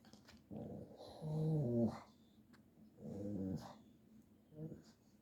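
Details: A pug growls while playing, in three low rumbling bursts with a whining rise at the end of the first; the bursts come about a second apart, then fade to quiet between.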